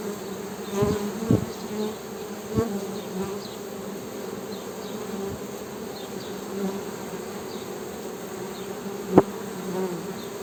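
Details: Honey bee humming, a constant low buzzing drone, interrupted by several dull thumps and a sharp click near the end, with faint high chirps in the background.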